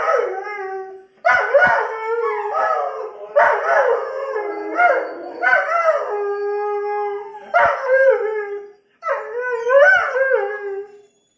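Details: Doberman Pinschers howling together, set off by an air horn sound effect; layered wavering howls with strong harmonics, sliding down and rising, in several bursts of one to two seconds separated by brief breaths and clicks.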